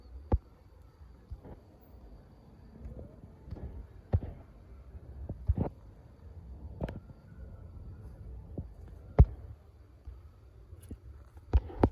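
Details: Scattered thumps and footstep-like knocks over a quiet low rumble at night, with no animal calls.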